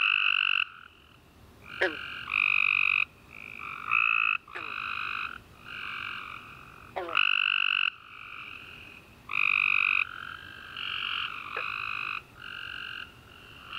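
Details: Chorus of tree frogs calling at night following a warm, rainy summer day, dense overlapping buzzy trills, one-second bursts closely packed and alternating between callers, occasional sharp clicks.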